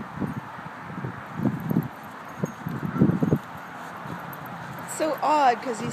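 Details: Charlie, a 2-year-old cream Shiba Inu, gives a short, wavering yodel of excitement after muffled talking and rustling, over-excited on being taken to the dog park; people often think he is being hurt.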